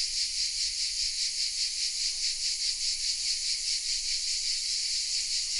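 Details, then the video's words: Many cicadas nestled in oaks at Vézénobres, south of France, filmed with a Sony RX10 M3; their high, sizzling drone runs without pause, pulsing rhythmically about twice a second, steady in loudness throughout. "The sounds of CICADAS😊 : Welcome in the south of France"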